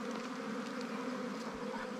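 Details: Buzzing of many wild bees around a ground nest during honey hunting; a thick, unbroken drone with a faint higher whine above it.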